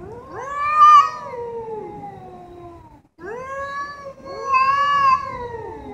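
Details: Domestic cats presented as talking to each other: two long drawn-out meows with rich harmonics, the first rising then sliding down over about two seconds, a short pause, then a second wavering caterwaul-like meow.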